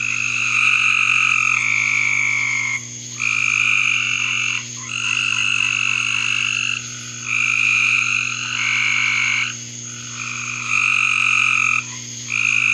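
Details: Several frogs trilling in a backyard, long high buzzy bursts of one to two seconds repeating with short breaks, overlapping voices, and a soft electrical-sounding hum underneath.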